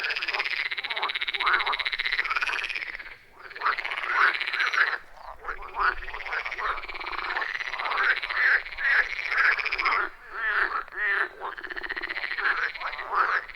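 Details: A loud, rhythmic chorus of wild frogs at a pond deep in a forest, captured on an iPhone 14 Pro with Shure MV88+; many overlapping pulsed croaks, arching up and down in pitch, with a brief lull near the start.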